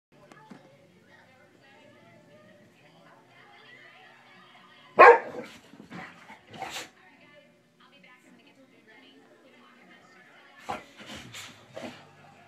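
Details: Big goofy pet dog indoors giving a loud sharp bark, a couple of softer follow-up barks, then a quick burst of three or four barks later on, with quiet human speech murmuring between them.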